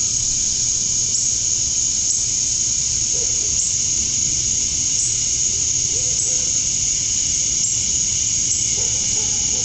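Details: Evening summer chorus of male cicadas in Georgia, USA, calling to attract females: a steady, shrill, hissing drone, with a few faint, low, short notes scattered beneath.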